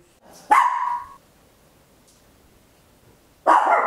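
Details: Tiny Papillon dog barking very loud indoors at home, captured in stereo on a handheld recorder; two harsh, bright barks about three seconds apart, the first drawn out slightly.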